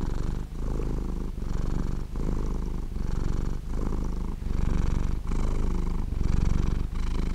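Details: Sleeping cat with a deep, buzzing purr, breath cycles marked by short dips about every three-quarters of a second, loud and near, no competing sounds.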